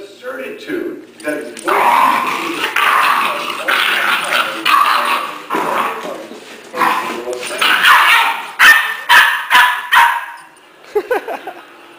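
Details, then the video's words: Puppy Guiness barking at his older brother to show who's boss: loud irregular barks and yips through the middle, a burst of short sharp barks near ten seconds, with people talking alongside. "Guiness Gets Vocal"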